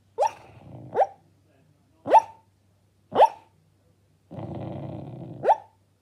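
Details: A female Labrador Retriever puppy, dreaming in her sleep, gives soft, clipped little woofs and a low rumbling growl.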